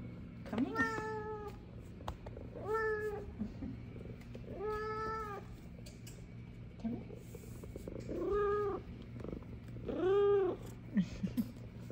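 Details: Happy F2 Savannah cats welcoming their owner back from work: five clear, evenly pitched meows, each about half a second long, spaced roughly two seconds apart over a quiet room hum.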